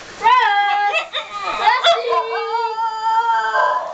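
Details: Basenji. A Basenji howls in long, tonal, wavering notes that rise and dip, broken by brief yodelling catches. The voice holds steady in a mid-pitched register before trailing off into a final sustained wail.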